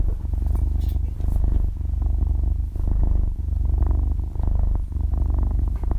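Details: Young kitten, about half a year old, purring in its sleep, recorded close up in stereo: a deep vibrating drone in rounded swells of roughly a second, with short quieter gaps between breaths.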